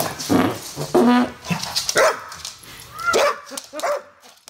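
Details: An English Bull Terrier cross Staffy, unimpressed at being sprayed with a new garden hose, gives short, punchy barks in quick bursts, some rising into higher yelps, over a steady hiss of spraying water.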